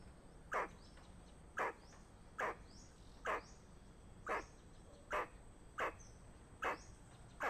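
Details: Danger warning from a squirrel, a run of short rasping chucks at about seventy per minute, slightly irregular in spacing, heard over quiet natural background noise.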